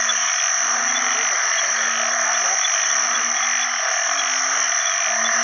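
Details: Banded bullfrogs, known in Isan as ung khi khan, calling for mates in water after heavy rain at the start of the rainy season; low droning harmonic notes about a second long repeat steadily over a dense, shrill chorus of other frogs and insects.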